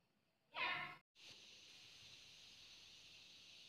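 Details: Charcoal F1 cat giving one short, harmonic meow lasting about half a second, followed after a brief gap by a steady high-pitched hissing drone that continues to the end.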